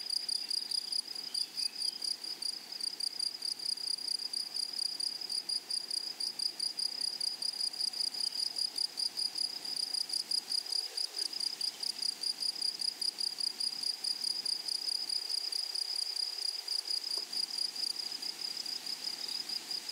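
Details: Meadow grasshoppers produce an unbroken, shrill, evenly pulsed buzz at high pitch for the whole stretch. There are no other clear sounds.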